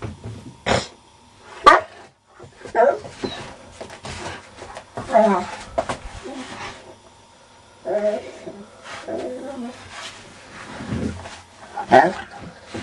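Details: Diesel, a dog described as mad, barks to be let out and wake its owner; short harmonic barks and yelps come in scattered bursts over about thirteen seconds, with a man's voice talking between them.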